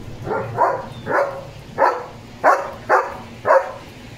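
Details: German Shepherd named Leo during his bath, giving seven short, mid-pitched barks at an uneven pace of about one every half second, with a low background hum between them.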